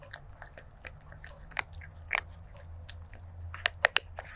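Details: A stray kitten chews its food, captured 23 January 2024 through a stereo lavalier mic; scattered crisp crunches and soft clicks, ending in a few loud sharp bites, with a low hum underneath.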